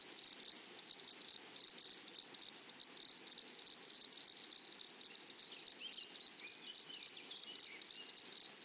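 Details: Grasshoppers in a flowery meadow or prairie: dense, rapid buzzy pulses in a high band, trains of chirps overlapping steadily throughout, with a faint bird twitter in the background.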